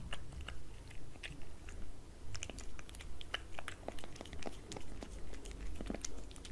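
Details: Indoors a cat eats wet cat food off a glass table, making rapid, fairly regular wet chewing bites and crisp clicks, about two per second, over a faint low hum.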